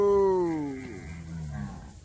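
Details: Nelore cattle on Fazenda Progresso, cows being called and moved to wean their calves: a loud, harmonic bellow that slides steadily downward in pitch, then trails off into softer, lower tones over about two seconds.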